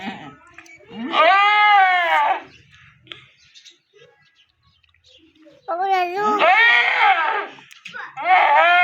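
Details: Goat bleating during the birth of a kid: two long, loud, wavering bleats, each about a second and a half, separated by a quiet gap, with faint voices in the background.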